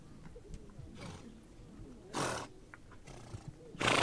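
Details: On the Mongolian steppe, a horse gives three sharp, rough blowing snorts, the loudest closing the clip, against a soft low background of shuffling and rustling.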